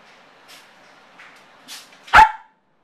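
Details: Male Yorkshire terrier left alone at home, showing separation anxiety: faint soft sounds, then one loud sharp bark near the end, in a quiet room.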